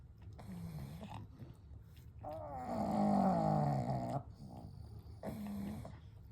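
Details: Gentle night-time snoring from three sleeping pugs, Kou, Gen and Shun: a loud, rasping snore with wavering harmonics swells for two seconds between shorter, softer snoring breaths.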